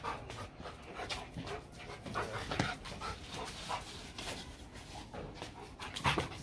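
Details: A very large Rottweiler, described as a Vietnamese champion, playing with a strongman who lifts it; quick rhythmic breathy panting, several puffs per second, with a few louder thumps and handling noise.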